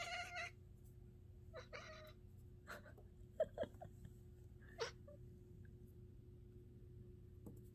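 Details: Siamese cat (Felis catus), chatter: excitement while watching birds.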